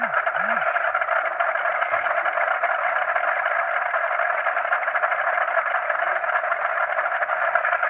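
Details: Frogs calling together with crickets at night, a dense, steady droning chorus of overlapping croaks with a high, rapidly pulsing cricket trill running throughout; a brief low sweeping noise near the start.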